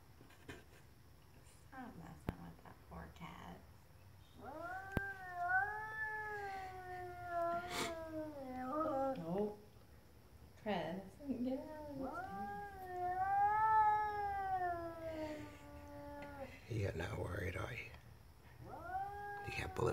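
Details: Neighbour's stray cat outside causing trouble, its tail swollen, repeatedly yowls. Several long wavering moans rise and fall, mixed with shorter wails and a broken, choppy cry, while a person's voice and a few thumps break in between.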